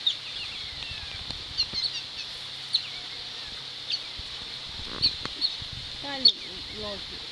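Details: Asian small-clawed otters playing with stones at the seal sanctuary in Gweek, Cornwall, UK, giving brief, very high, thin squeaks scattered through the clip over steady background hiss, with a human voice near the end.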